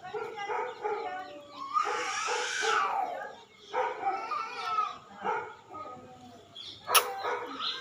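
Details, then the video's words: Gaddi dog during a bath, giving a series of short, high, whining whimpers in quick bursts, with splashing noise and a person calling its name. "gaddi dog bath"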